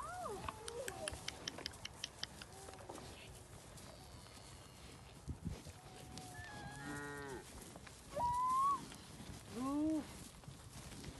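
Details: Cow offered an apple in Lampaden, Germany, on 8 October 2018 during a holiday: a low, drawn-out harmonic moo, then two louder, shorter bellows, higher and bending in pitch, with a few sharp clicks early on.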